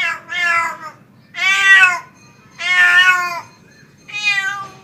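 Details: Tomcat calling for a female with four loud, rich meows spaced about a second apart, each nasal and strongly harmonic, steady in pitch then falling away, in a quiet indoor setting.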